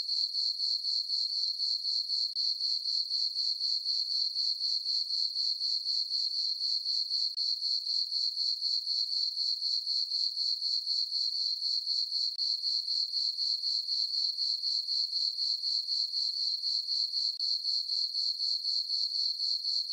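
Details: Summer-night crickets in a moonlit farm meadow give a continuous shrill chirping, regular pulses roughly four each second, unchanging throughout against a silent background.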